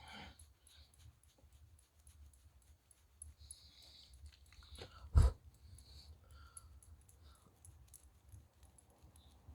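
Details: Friendly Shiba Inu named Chichi, kept near Kanehama in Aomori City, Japan, sneezes after a head and neck petting loosens moulting fur; one sharp explosive burst midway through otherwise quiet surroundings with faint rustling.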